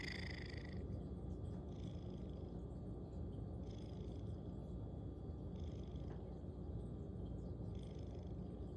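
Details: Sleepy cat snoring loudly while asleep, a continuous deep rumble with light, airy breath accents repeating roughly every two seconds.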